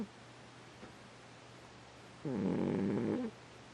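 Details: Domestic cat snoring, a single raspy, buzzing breath lasting about a second against a quiet room hum.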